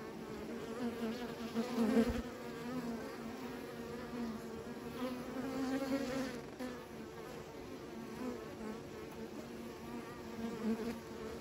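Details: Many bees humming in a sustained low drone, with brief louder swells as insects fly close around the second and sixth seconds, then a steady, even buzz.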